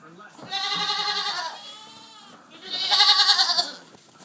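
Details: Goats in their pen on a farm, a mix of Pygmy, Pocket and Fainting goats; two loud, harmonic, wavering bleats about one second long, separated by a quieter lower murmur.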